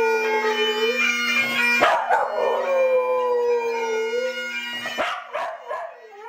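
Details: Tibetan Terrier Reiska howling along to Scottish bagpipe music, long wavering tones that slide gently downward and hold, broken by sharp rising yelps near two and five seconds, over a steady bagpipe drone and chanter melody.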